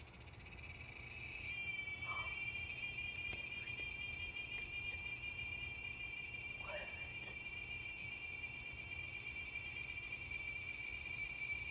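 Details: Giant cicada heard in the San Antonio area of south central Texas, loud enough to be heard from indoors: a sustained high whistle holding steady after a rising start, with faint background buzzing and a person talking briefly.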